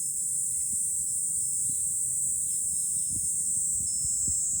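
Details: High, sustained cicada chorus in July from a hill overlooking Fukuoka city, Japan, with soft tinkling wind-chime notes and low gusts of wind beneath the shrill drone.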